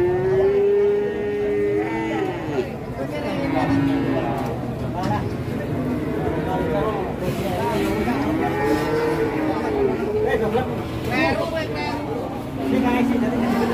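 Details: An enraged cow that has broken loose; long, tonal moos, some rising and falling, repeated several times over the recording, with people talking and shouting throughout.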